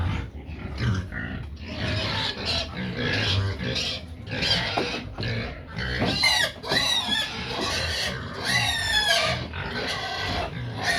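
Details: Pigs making a racket while they wait for feed, a steady din of rough, overlapping squeals and grunts, with several sharp, high, rapidly pulsed squeals standing out near the end.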